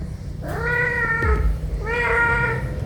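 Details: Mother cat meowing as she brings a caught house sparrow to her kittens, who come and scramble for it: two drawn-out, clear harmonic meows about one and a half seconds apart, over low background rumble.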